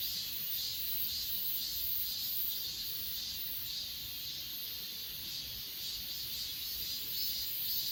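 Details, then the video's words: Achasan mountain grass insects recorded with an S20 Ultra phone, a continuous high ringing chorus throbbing in regular pulses about twice per second, no other sounds standing out. "아차산 풀벌레소리"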